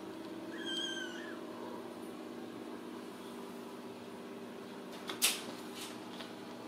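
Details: A Ragdoll kitten at a home cattery in central Kansas gives one brief, high, thin mew early on, then a steady low hum fills the room and a loud click or bang follows.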